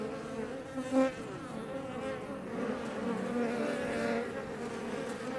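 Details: Western honey bees, Apis mellifera iberica, at a Langstroth beebox in south Tarragona, Catalonia, Spain; an even, resonant hum of numerous bees, one bee zipping loudly past near the start before the drone settles.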